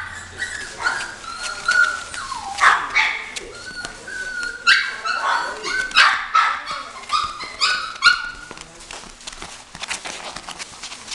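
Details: Female Chihuahua barking and whining repeatedly in uneven bursts, bright high-pitched yaps mixed with drawn-out whimpering notes, while a person's voice is heard now and then in the background.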